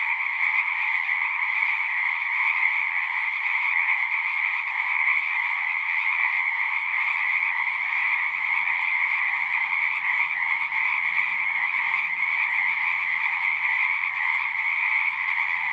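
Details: At a pond in a horse pasture, a crowd of frogs sings in a steady, dense trilling chorus, recorded with a Zoom recorder; two strong pitch layers persist while soft low hums appear in the second half.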